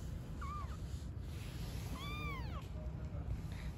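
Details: Street-living cat family of newborn kittens and their mother: two meows, a brief high one followed by a longer, arching, harmonic-rich cry that rises then falls, over a steady low rumble of background noise.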